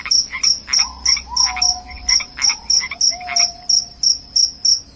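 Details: Cricket, said to drive away rats and bring on sleep, chirping in short high-pitched bursts about three times per second. Clicking strokes and lower gliding tones sound in the background.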